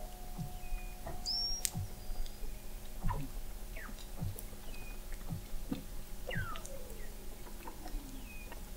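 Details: Weddell seals under the sea ice of McMurdo Sound, Antarctica, recorded November 2017 by an observatory 21 m down: scattered short chirps, brief high whistles and a slow descending glide over low clicking pulses and faint steady hums.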